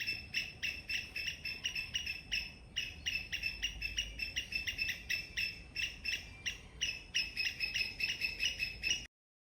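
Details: A squirrel gives loud, sharp, high chirps in the morning in a garden, in steady runs of several each second, pausing briefly between bursts.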